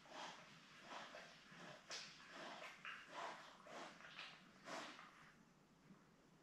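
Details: Labrador Retriever puppies, seven born May 24, 2021 to mother Belle, filmed by a live puppy cam on June 4; a run of brief, bright yelps and squeals comes roughly once a second, with faint rustling between.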